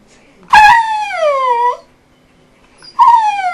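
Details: An eight-year-old pet dog vocalising what its owner hears as "hello": two drawn-out, whining, howl-like calls that start high, slide downward and level off, each about a second long, with a quiet pause between them.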